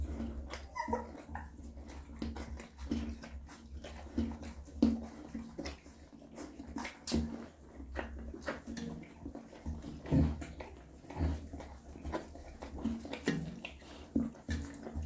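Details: Mother dog cleaning and feeding her newborn puppies indoors: steady wet licking and smacking clicks, with faint brief whimpers near the start, over a constant low hum.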